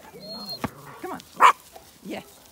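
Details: Zwartbles lambs on a regenerative farm in County Kilkenny, Ireland, calling at morning feeding as summer nears; a short quavering bleat opens the recording, followed by a man calling encouragement.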